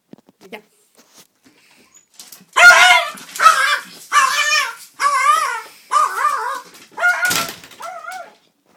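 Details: A male Yorkshire Terrier attacking a door gives a run of high, harsh, yappy barks with a whining edge, about one per second.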